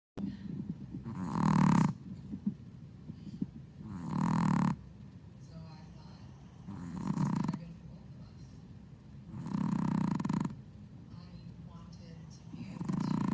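A Boston Terrier puppy snores while asleep, each breath a coarse, rumbling rasp. The snores come in slow bursts roughly every two to three seconds, with quiet pauses between.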